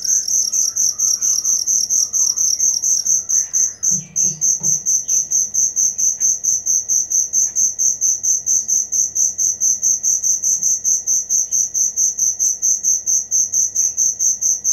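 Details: Cricket chirping in a high, steady pulse train, about three bright chirps per second without pause, with faint scattered bird notes in the background early on.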